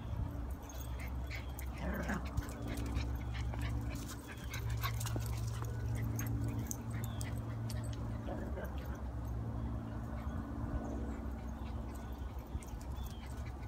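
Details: Italian greyhounds, playing with the neighbour's puppy for the first time, give short, high, rising whimpers and yips a few seconds apart indoors, over a steady low electrical hum, with a quiet human word near the start.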